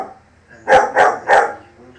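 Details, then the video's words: German Shepherd puppy barks at lions, giving three sharp, evenly spaced barks about a third of a second apart, each loud and abrupt over low background hum. "German shepherd puppy Barkin at lions"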